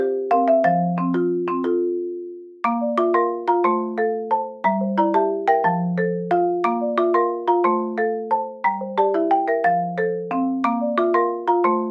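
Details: Gentle marimba melody of plucked, bell-like mallet notes playing steadily throughout.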